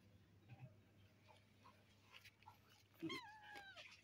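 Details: Village cats being fed sausage, corned beef and meatballs mixed with rice, with a black cat nearby; mostly quiet room noise, then one short falling meow near the end, followed by a brief higher cry.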